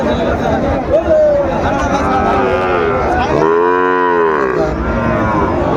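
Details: At a livestock market, Sahiwal bull calves bought by a farmer from Chattogram on 17 March 2025; a short call early, then one loud rich moo swelling and fading around mid-clip, under market chatter.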